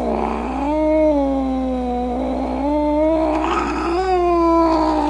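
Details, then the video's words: Angry cat snarling in a sustained, undulating low yowl, pitch wobbling up and down with rough throaty swells throughout about five seconds. "Cat Sounds | Cat Meow Sounds, Snarling Sounds, Hissing Sounds | The Sounds a Cat Makes"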